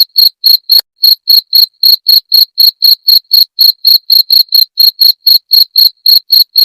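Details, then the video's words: Rat-repelling cricket sound: a steady train of sharp, shrill chirps at roughly four per second, about twenty-six in a row, every pulse ringing high with a faint upper overtone, against complete silence. "Suara Jangkrik pengusir tikus"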